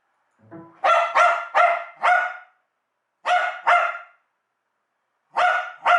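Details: Dog going wild over the USB plug/unplug sound: a brief low electronic tone, then a rapid volley of four loud barks, a pair of barks after a pause, and another pair at the end.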